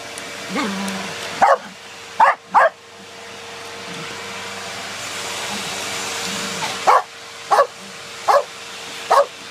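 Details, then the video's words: Two Corgis attacking a running vacuum cleaner indoors, sharp single barks in scattered bursts over the steady hum of the vacuum. "Double Corgi Power!- Vacuum Attack!"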